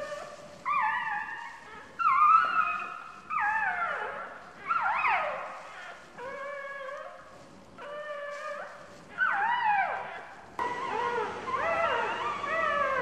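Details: Day-old newborn puppy, pinned beneath its mother who uses it as a seat, gives repeated plaintive whimpers, each short cry sliding down in pitch, separated by brief pauses, growing busier near the end.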